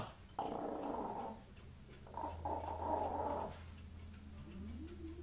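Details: A dog making cat-like noises, heard faintly: two long, steady, moaning tones lasting one to two seconds each over a low constant hum.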